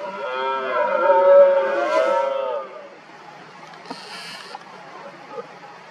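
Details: A single long, strongly harmonic roar from a red deer stag during the 2023 rut lasts about two and a half seconds, rising and falling, then quieter background follows with faint distant sounds.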